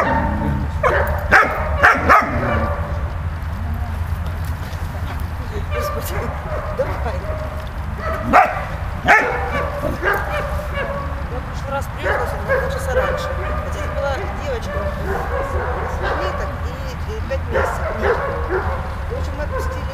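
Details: Dog Malta in play with Bulat: a cluster of quick barks at the start, then scattered yips and drawn-out whines over a continuous low droning background.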